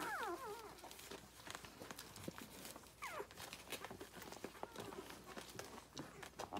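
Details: Rhodesian Ridgeback puppies, six days old, nursing from their mother: a sharp falling squeal opens, another comes near the middle, and between them busy suckling clicks and rustling fill the background.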